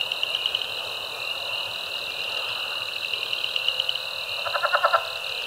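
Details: Chorus of spring peepers, Cajun chorus frogs, southern leopard and pickerel frogs at Caddo Lake, eastern Texas, March 2024; steady high trilling, ending with a loud rapid series of pulsed croaks near the close.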